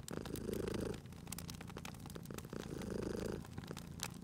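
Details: Cozy fireside purring from a cat: a deep vibrating drone rising into two louder breathing phases, near the start and again after two and a half seconds, while crackling fire snaps and clicks over it.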